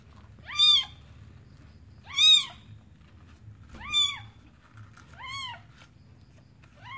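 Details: Newborn kitten from a village, giving thin, high arched mews, five calls spaced about one and a half seconds apart, each short and rising then falling, over a faint low background hum.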